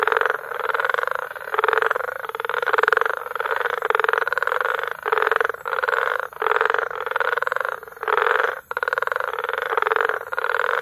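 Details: Tanzanian frog concert recorded in May at Bagamoyo: overlapping rasping, pulsed croaks keep up an almost unbroken buzzing chorus, with a few brief dips where callers pause.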